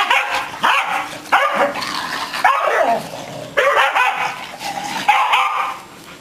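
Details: A male English Springer Spaniel, energetic after having his long hair trimmed, gives a run of sharp, excited barks and yips.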